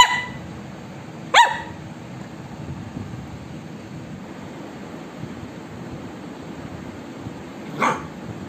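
An Indian Spitz gives a few sharp, high yapping barks, widely spaced, over a quiet background.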